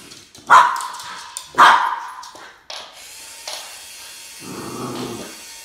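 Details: Boston Terrier Max barking while confronting a snake: two sharp, loud barks about a second apart, then a softer trailing sound and a low rumbling noise near the end.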